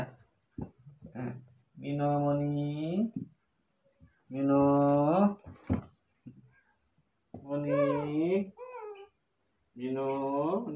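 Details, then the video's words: Morning milk time for young pet monkeys Moni and Mino, very excited. Four long, loud, steady cries with a bending pitch come in turn, with short quiet gaps and a few spoken Indonesian words. "it's time to drink morning milk, baby monkeys Moni and Mino are very excited"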